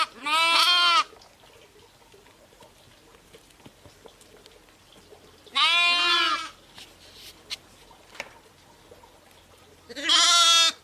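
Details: Bleating from ewes and lambs: three separate harmonic, wavering bleats, each about a second long, spaced roughly five seconds apart, with near silence between.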